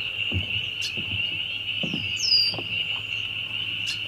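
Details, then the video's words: A really loud bunch of spring peepers calling together: a dense, continuous high-pitched ringing drone, broken by a few soft low thuds and one brief higher chirp. "Spring Peepers"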